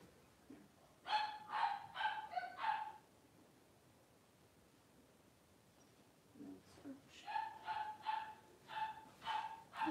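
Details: Female Cavalier King Charles Spaniel giving birth to six puppies over two hours: two bursts of four to five high, whining yelps, each burst about two seconds long, separated by a quiet pause, with a faint low sound at the start.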